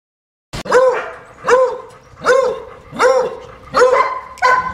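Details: German Shepherd, described as unmanageable, during a training lesson: five loud, harmonic barks spaced roughly a second apart, each rising then falling, with a short click before the first.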